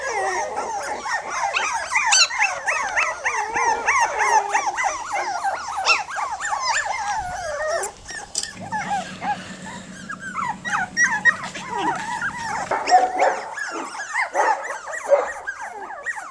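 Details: Ten one-month-old Jack Russell Terrier puppies playing on a back-yard lawn on their first outing without their mother; many high, whining yips overlap in a dense, continuous chorus, with a steady low drone between eight and twelve seconds.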